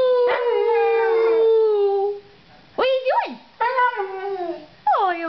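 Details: Puppies howling: a long steady falling howl for two seconds, then after a pause short rising-and-falling wails and a final descending howl, with quiet gaps between.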